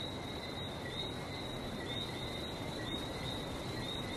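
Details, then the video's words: Barbados frogs, numerous individuals giving brief bright whistles that overlap into an unbroken high-pitched trill-like chorus, with steady low sea rumble beneath throughout. "Relaxing sounds of #Barbados #frog"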